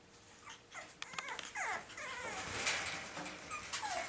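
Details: Boston Terrier puppies, several littermates, playing together on 09/13/2017; overlapping high-pitched yips, squeals and whines with downward-sweeping tones, growing busier and louder over a few seconds of rough play.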